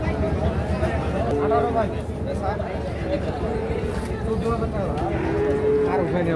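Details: Young Sahiwal bull calves at the Ambari cattle market in Parbatipur, Dinajpur, Bangladesh, recorded on Monday 29 September 2025; drawn-out, steady mid-pitched lows recur among constant crowd chatter and bargaining voices of traders.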